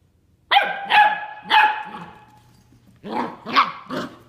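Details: Nine-week-old Bernese Mountain Dog puppy barking at an older ten-year-old dog in an early-morning attempt to play: three sharp yappy barks in quick succession, a pause, then three shorter, lower, gruffer barks.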